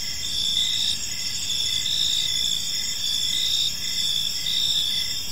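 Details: Evening cricket chorus in a peaceful park: layered high buzzing trills and rhythmic chirps repeating steadily, over a faint low background noise.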